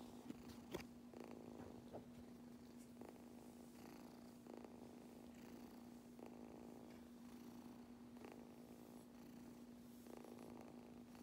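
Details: Young cat purring hard during brushing; an even, unbroken low purr runs throughout, overlaid by brief scratchy brush sweeps at irregular intervals.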